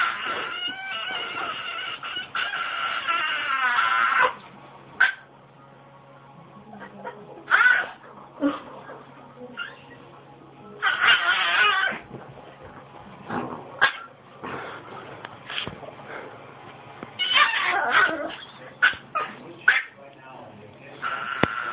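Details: A female Yorkshire Terrier makes her usual odd, strained whining and yodel-like noises in short harmonic bursts.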